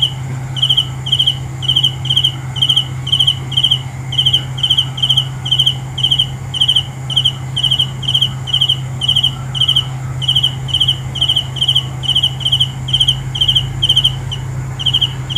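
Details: Cricket chirping steadily, each chirp a quick trill of three or four high pulses, about two chirps per second with short irregular gaps, over a constant low electrical-like hum.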